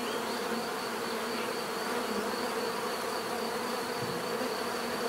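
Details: A constant swarm-like hum of bees, rich layered buzzing without pauses, steady in loudness.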